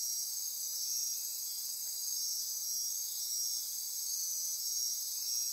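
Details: Insects chorusing after dark in lush forest near Corcovado National Park, Osa Peninsula, Costa Rica: continuous thin, high trilling with several overlapping buzzy tones, evenly loud throughout.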